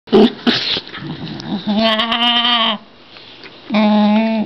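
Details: Shiba inu at play alongside a beagle mix, giving drawn-out, tonal whining cries that hold steady, then break off and return about a second later, with shorter yelping sounds at the start.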